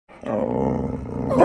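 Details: A Boxer puppy play-fighting with his big sister: a sustained, harmonic growling roar rising in loudness over about a second, ending in a brighter, higher-pitched yelp-like edge.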